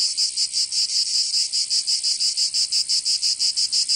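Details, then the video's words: Summer cicada chorus in Provence, southern France, a shrill high buzz pulsed in quick regular beats about three per second, continuous and loud throughout, nothing else audible. "Canto Cigarra 🦗 [ Escuchar les cigarras en verano 10 H]"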